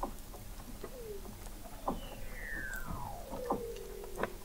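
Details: Weddell seal vocalizing beneath the sea ice of McMurdo Sound, Antarctica, in November 2017, taken from an observatory 21 m under the ice: a long whistle sliding smoothly from high to low, plus short rising chirps and scattered clicks.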